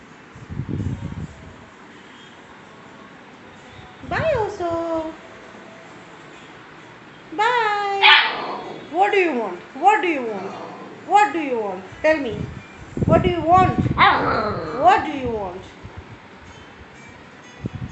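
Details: Tiny Siberian Husky puppy giving a run of high, sliding yelps and whines, each falling sharply in pitch, in quick bursts about once a second in the middle stretch, with a person talking nearby.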